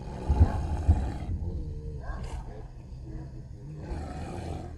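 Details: Street dogs fighting for a female: heavy, throaty growls with loud bursts in the first second, easing into lower grumbling, then rising again at the close.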